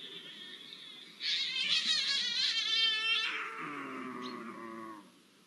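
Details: Iberian lynxes mating, recorded 05-01-24: a loud, sustained yowl with a rapid vibrato lasting about two seconds, fading into a lower, steadier moaning tone.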